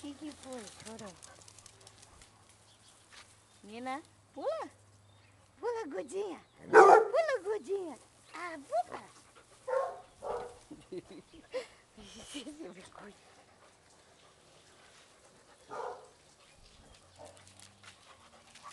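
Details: Playful Basset Hounds at a kennel making a commotion: rising, arched yelps in quick runs, then a loud burst of barking and scattered yips, quieter whimpers toward the end.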